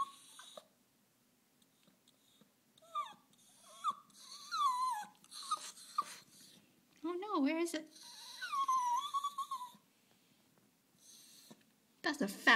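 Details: Miko the dog is whiny whenever she sees the squirrel. A run of wavering whines and squeaks, some drawn out and sliding up and down, mixes with a person's voice talking to her.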